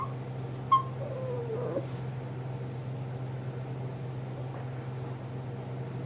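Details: A young small tan and white Chihuahua pestering an older Jack Russell/Rat Terrier mix lets out one quick, high yip, then a thin whine that slides downward and fades within a second, over a constant low electrical hum.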